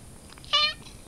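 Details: Pet cat, called a silly cat, in a quiet room uttering one short clear meow, bright and harmonic, lasting about a quarter second against faint background hiss.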